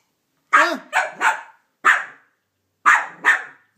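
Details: Banjo, a Cavalier King Charles Spaniel, fires off six quick, sharp barks in short clusters at Minnie Mouse, who took his bone.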